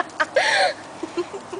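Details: Ripley the dog, brought to the beach and known for barking at and biting the ocean waves, gives one short, tonal bark that rises and falls, followed by a few faint, soft sounds in quiet surroundings.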